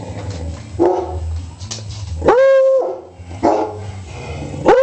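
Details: Baby Beagle Sissy, Beagle Gonzo and black Lab Snoopy barking and howling: a clear sustained bay rising then holding level for half a second, framed by rough barks and a final rising yowl, with low household rumble beneath.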